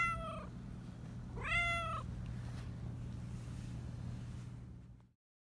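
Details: Black Persian cat that talks a lot, with a high voice: a short meow cut off at the start, then one fuller rising-falling meow, before the sound fades to silence over a low hum.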